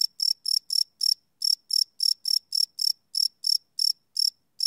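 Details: Cricket chirping at night, recorded live on a Sony PCM D100 field recorder: short high pulsed chirps, about four per second, with brief irregular pauses, over an otherwise silent background.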